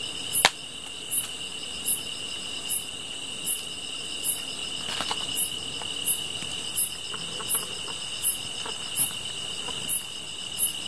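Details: Insects of the grass sing during a campfire evening: a constant thin, high-pitched trilling hum and evenly spaced bright chirps about every 0.75 seconds, broken by a few sharp snaps and crackles of the fire.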